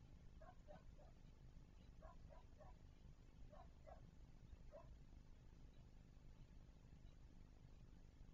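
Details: Javelinas recorded 16 October 2023 around 17:20: short clipped grunts come in loose clusters of two or three, about a dozen within five seconds, then fade. A steady low rumbling hiss lies beneath throughout.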